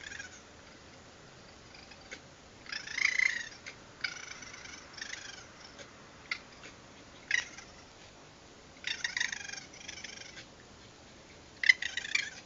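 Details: Raccoons, several, calling at night outside, picked up by a security camera: short harsh trilling, chittering bursts with a rough purring quality, spread through the recording with quiet gaps, the loudest near the start and end.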